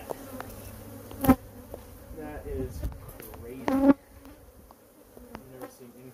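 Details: Stirred-up honey bees swarming out while their colony is pulled from a porch cabinet in a drawer: loud, swelling buzzes of bees flying close past, with sharp knocks and handling noises.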